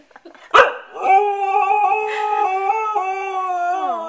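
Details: Siberian Husky howling together with a baby: after a sharp burst near the start, a long, steady, tonal howl is held for about three seconds, then slides down in pitch at the end.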